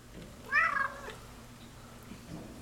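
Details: House cat Scientist, after eating and playing, lets out one short meow near the start, fairly quiet and slightly wavering, followed by near silence with faint indoor background.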